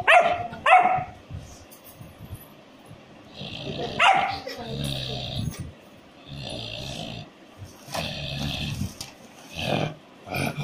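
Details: German Shepherd puppy barking: a quick pair of sharp barks at the start, another bark a few seconds later, then quieter grumbling sounds mixed with a person's voice and background rustling.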